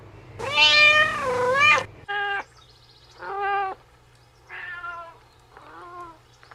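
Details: Kitten on green grass lets out one long, strained meow, followed by four shorter, clipped meows that grow softer.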